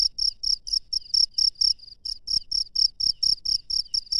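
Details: High-pitched cricket chirps at night in the wild, about four bursts per second with slightly uneven spacing, accompanied by a few soft low thumps in the background.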